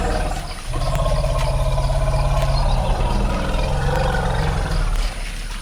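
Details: African forest elephant (Loxodonta cyclotis) in a forest clearing (bai) in the Central African Republic used by 50–150 elephants daily, possibly up to 80 present that day: a deep, rough, drawn-out rumbling roar lasting several seconds.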